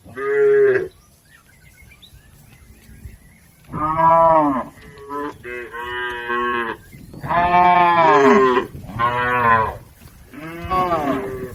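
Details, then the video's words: A herd of cattle crossing a river toward the farm pen moos repeatedly, overlapping bellows from several animals in a busy series, some calls long and wavering, others short, with faint bird chirps behind. "Bunyi sapi"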